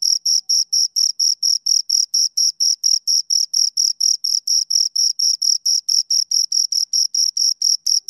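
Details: Two crickets produce a fast, rhythmic series of high, thin chirps, about four per second, steady throughout in a quiet setting.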